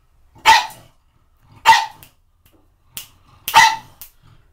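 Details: A pug attacking shampoo bottles lets out four short, sharp, explosive barks spaced about a second apart, with a faint extra yap near the end, against an otherwise quiet background.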